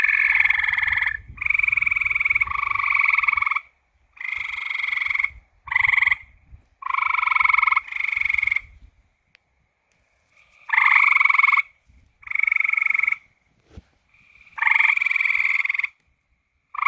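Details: Frogs calling at night: bursts of rapid, pulsed, rattling croaks lasting one to two seconds each, separated by short silences, with several callers overlapping and a faint low rumble underneath.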